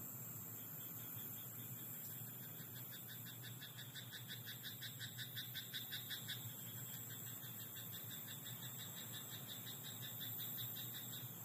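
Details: Night-time frog in a rice paddy giving a burst of quick, evenly spaced rasping croaks in the middle of the recording, about three per second. A constant high whine and a low background rumble run throughout.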